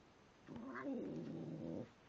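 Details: Pet cat growling as he eats, called angry by his owner: a single rough, wavering growl of a bit over a second, in a small quiet room.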